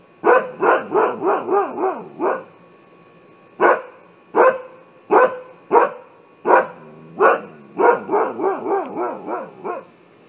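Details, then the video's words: Siberian Husky alarm barking across ten seconds: a rapid burst of wavering barks, a pause, spaced sharp single barks, then another fast rolling series of yodel-like barks at the end. "Husky Alarm System"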